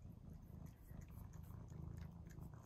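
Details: House cat, Mouse or Remi, being fed its favourite tuna treat indoors. A steady, low, rumbling purr pulses continuously, with faint chewing and small clicks above it.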